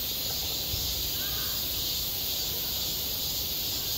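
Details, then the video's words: Cicadas buzzing at a school playground in midsummer: a softer steady high drone, with a short faint call breaking in briefly around the middle. "한 여름 운동장에서 매미가 울고 있다 - 여름의 소리, 학교 종소리, 매미 울음소리"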